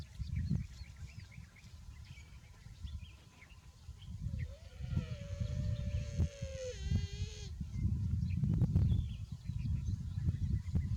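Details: Buffalo calf, said to be too hot, gives one drawn-out nasal call lasting about three seconds. It holds a steady pitch with a slight dip at the start and end, over strong low rumbling noise and scattered faint clicks.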